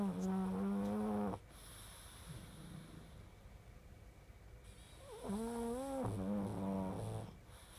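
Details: A pug snores in long, loud, droning breaths with rich overtones: one lasting over a second, then a quiet pause, then two more snores a little higher and slightly wavering, the last breaking off abruptly.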